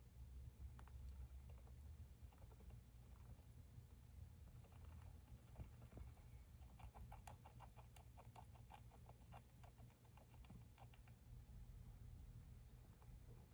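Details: Female hamster lying prone and grinding her teeth, recorded 30 July 2023: rapid trains of tiny dry clicks, densest midway, repeating in quick bursts over a low steady room hum.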